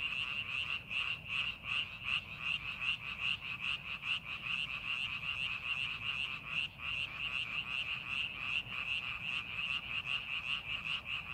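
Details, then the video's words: A chorus of many frogs in a rice paddy readied for the farming season, with overlapping high croaks in a continuous throbbing band and regular rhythmic swells. Soft low background noise runs throughout. "농사준비하는 논에서 개구리 울음소리"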